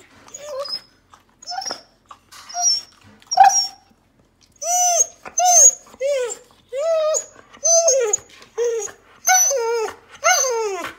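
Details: Elderly Samoyed dog indoors, excited and trembling, mistakenly thinking it is going out when actually heading to a postoperative forehead check, whining insistently after being told to sit: a series of arched, nasal, rising-falling whines with rich overtones, roughly one every second.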